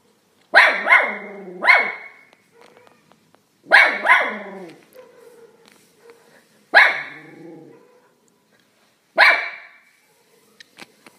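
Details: Dog giving a series of loud, sharp barks, some in close pairs or triplets and others single, spaced one to three seconds apart, with faint short noises in the quiet gaps.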